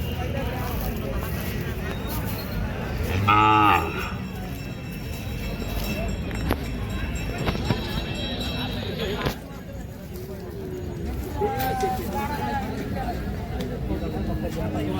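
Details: Bullocks at the busy Kashti bullock market. A single loud, short moo with a clear tonal quality rises above the steady crowd murmur and traffic, and a fainter bellow follows later. Voices and market noise continue throughout.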